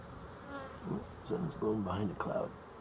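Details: Honey bees recorded 12-11-23, giving short buzzy flight hums that swoop up and down in pitch as insects pass close, several overlapping passes within under three seconds over quiet background hiss.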